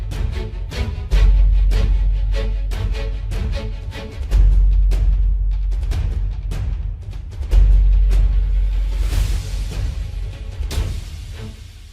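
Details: Dramatic orchestral music with booming timpani strikes and deep sustained bass swells, rising to a cymbal-like wash near the end; no animal voice.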